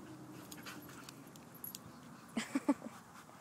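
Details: Shakti, an 18-month-old Alaskan Malamute, at play with another dog in a dog park; three short, sharp low vocal yips near the end after quiet rustling, with faint background hum.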